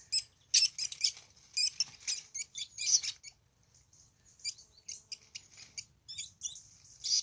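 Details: Pair of least weasels in a fight, unaware of the person close by: loud shrill trilling squeaks packed tightly for three seconds, then sparser high chirps over a thin steady whine, faint low rumble beneath.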